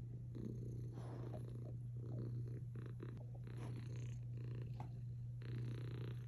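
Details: Cat snuggling against a Belgian Malinois dog, purring continuously: a deep, even drone with rhythmic breath-paced surges about once a second, plus faint fur and body rustles.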